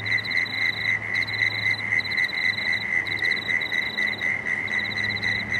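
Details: Frogs calling at dusk beside the Cooks River in Marrickville: a steady, high, shrill pulsing chorus with rapid ticking trains overlaid and a low rumbling hum beneath.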